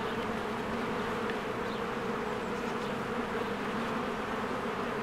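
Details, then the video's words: Continuous low hum of honeybees coming and going at a hive in spring amid blooming flowers, an even wall of buzzing with a couple of faint distant bird notes. "1 Hour of a Beehive ASMR"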